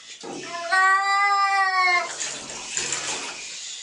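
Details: Kitten meowing when faced with a mysterious object: one drawn-out, steady harmonic meow lasting over a second, followed by splashing water-like noise and a man's voice reassuring it.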